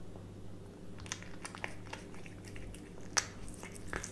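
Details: A cat eating a hamburger indoors makes soft irregular bites and crunchy chewing clicks, scattered through the clip with one sharper crunch near the end, over a steady low hum.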